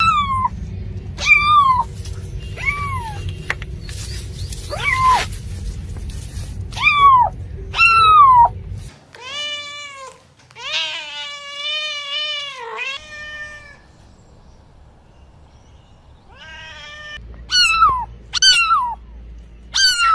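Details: Cat meowing repeatedly with short, downward-curving mews. A longer, wavering, wailing run sits in the middle, followed by quieter calls and a final burst of quick mews. Low background hum is heard throughout.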